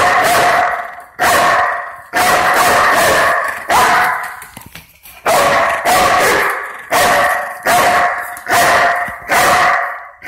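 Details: Barking from a Belgian Malinois police dog ordered to guard the front door against a simulated intruder: strong, harsh barks in quick runs of two to four, with brief silent gaps between runs.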